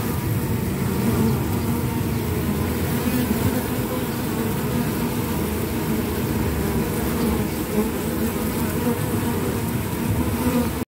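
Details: Honey bee forager with orange propolis loads on its legs: continuous low humming buzz with slight rises and dips in pitch, steady in loudness for the whole stretch, mixed with rushing background noise.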